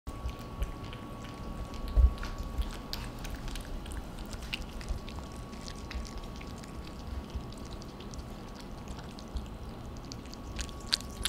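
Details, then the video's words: Two cats, Theo and Thea, eating dinner indoors; soft wet lapping and smacking clicks scattered irregularly through the stretch, quiet against a steady low room hum. "ねこの食べるぴちゃ音が凄い Theo and Thea making big noise during dinner"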